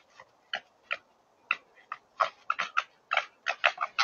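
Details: Two wild red foxes fighting over food in a field in Suffolk, January 2023, winter breeding season: harsh, rasping, chattering cackles in rapid uneven bursts, getting louder and more frequent over a few seconds.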